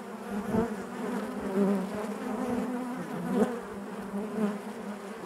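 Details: Dense, even buzzing of a honey bee colony inside its hive, a low droning hum with faint overtones and small swells, occasional brief louder buzzes of individual bees near the recorder.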